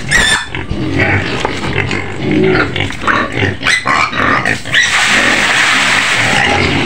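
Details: White pig screaming in its pen on the outskirts of Medan, Indonesia: harsh, noisy squeals in rough bursts, with a loud shrill stretch near the end.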